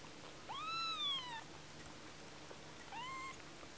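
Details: One-week-old tiny kitten giving two high, thin mews: the first is about a second long, rising then falling at the end; the second is shorter and softer after a pause. The background is quiet.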